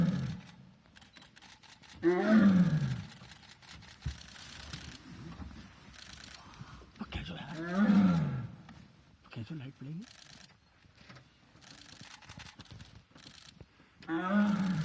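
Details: A tiger in Rajaji National Park near Dehradun, Uttarakhand, India, gives deep, moaning roars that swell and fade, with long pauses between them. Tigers use roars to get the attention of other tigers.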